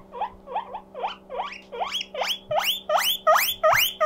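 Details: Mokohei, a pet guinea pig feeling lonely, builds his 'puipui siren': nine rising squeals in four seconds, starting soft and short, then growing louder and longer, over a quiet steady hum.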